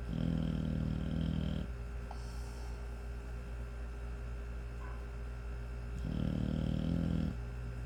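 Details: Five-month-old American Bully puppy snoring while asleep: two long, low rumbling snores, one at the start and one near the end, separated by a quiet stretch with steady background hum.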